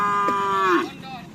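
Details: Short, even, tonal moo from Madura racing cattle (karapan sapi), purchased for an upcoming anniversary event, sliding downward near its end before fading into low background noise.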